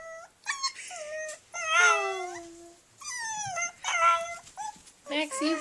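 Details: Caged baby puppy crying at night: drawn-out, wavering whines and falling howl-like cries separated by brief pauses, with some human speech faintly mixed in.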